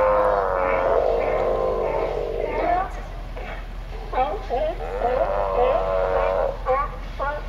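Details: A raft of California sea lions, apparently all males, calling together in an unusual chorus; long, drawn-out harmonic moans that waver and bend in pitch, overlapping with shorter, sharper barks and warbles.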